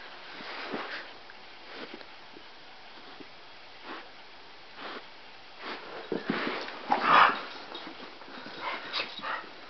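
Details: Two pet dogs, Chauncey a Cockapoo and Murphy a Scottie mix, playing together: breathy snuffles and huffs in scattered bursts, then a louder, short whining growl partway through, with softer scuffling between.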